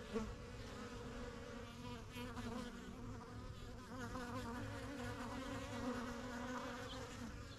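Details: Honey bees in a backyard beekeeping setup begun in spring 2023. The yellow hive, the strongest of the first few hives, has bees flying in and out. A steady layered hum with wavering overtones carries on with no break.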